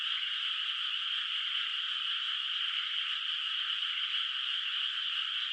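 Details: Frog voices from afar across a moonlit rice paddy at night, no rice yet in the water; a thick, unvarying chorus of rapid trills sounds steadily from start to finish.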